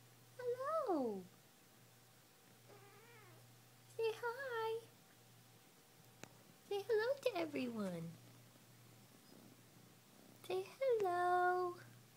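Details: Female Munchkin cat lounging at home and talking: five drawn-out meows, some falling and some rising, spaced over twelve seconds, the longest a wavering wail near eight seconds, with a faint steady low hum throughout.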